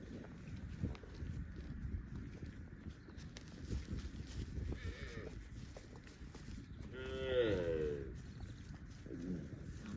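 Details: Livestock cows roaming in the fields, mooing: a faint brief moo, then a louder, drawn-out wavering moo of about a second, and another faint call at the end, against constant low rustling and rumble.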